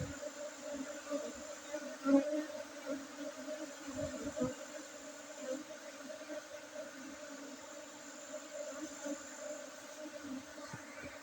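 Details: Honey bees at a honey harvest on Monday 5 June 2023, at a bee farm in Tingkem Bersatu village, Bukit district, Bener Meriah, Aceh, among Gayo Arabica coffee gardens; steady low droning hum with faint overtones and occasional soft knocks.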